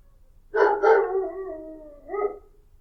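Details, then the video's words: Dog producing a brief yelping onset that stretches into a wavering, sustained howl, dipping in pitch and then lifting in a short final rise. "dog barking sounds 狗吠聲 개 울음소리 犬の鳴き声"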